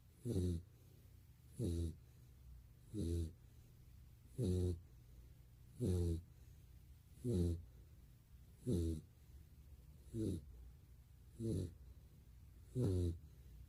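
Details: Asleep in a quiet room, Golden Retriever Barney produces ten deep, buzzing snores at a regular pace of about one every 1.4 seconds, each a short rattling rumble.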